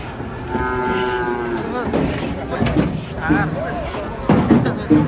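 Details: Agitated cattle being unloaded from a truck. A long, steady, low moo lasts over a second, followed by shorter wavering and rising calls, with people's voices and clatter around them.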